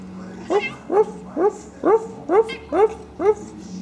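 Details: Pet female cat snorting like a pig while playing, not angry: seven short, harmonic, upward-bending grunting squeals, evenly spaced about every half second, in a quiet indoor room.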